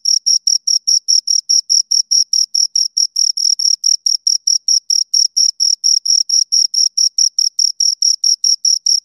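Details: Crickets, two of them, chirping steadily in a quiet setting: a long regular train of piercing short chirps, roughly four each second, clear and close.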